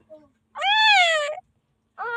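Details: Newborn puppy in the Philippines calling for help before being saved: one long, loud, high whining cry that rises slightly then slides down, followed by the start of a second cry, with a faint short squeak before it.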